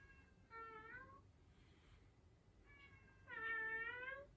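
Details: Domestic cat giving two drawn-out meows indoors, each harmonic-rich and gently rising in pitch, separated by a quiet pause of about two seconds; the second meow louder and longer.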